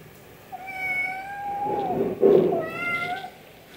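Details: Little cat meowing for food: a long drawn, steady, slightly falling meow, a short rustle, then a second shorter meow.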